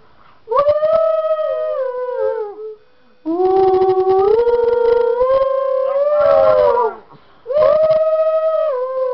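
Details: Singing along to a tune, female Miniature Schnauzer Lexi gives loud sustained howls. Three bouts: the first falls slightly, the second climbs in steps to a higher wavering note, and the third is a shorter, falling wail, with brief quiet pauses between.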